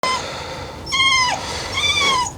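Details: Spoilt Cockapoo whining during a training session, high tonal whines that rise then bend downward, three drawn-out cries over about two seconds, indoors.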